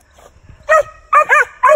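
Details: A male Original Mountain Cur squirrel dog named Chief, of Nickelson and Mohawk breeding, during training: after faint rustling, a single sharp bark, then a rapid double bark and one more clipped bark.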